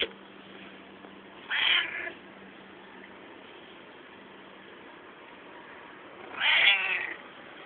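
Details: Pet cat making funny noises while climbing; two strained, harmonic-rich meows about five seconds apart, with steady background hum between them.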